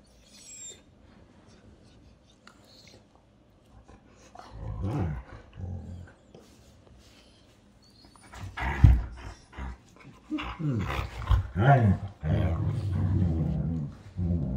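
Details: A 1.5-year-old long-haired German Shepherd and a 2-year-old Husky wrestling in play indoors after cuddling; low rumbling growls and grumbles build in irregular bursts, loudest near the end, with brief quiet gaps between.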